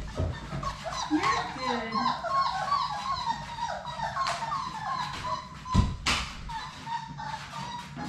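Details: Labrador Retriever puppies, a litter of six from the mother Sadie, playing together in their play room; thin high whimpers and squeaks wavering near the middle register, with scattered knocks and a human voice in the background.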